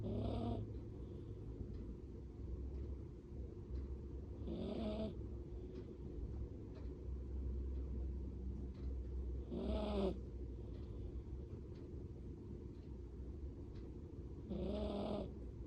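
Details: Bolognese puppy asleep in its cage, face squeezed against the bars, giving heavy snores rather than its normal gentle breathing; four rough, grating snores come roughly every five seconds against a constant low-pitched room hum.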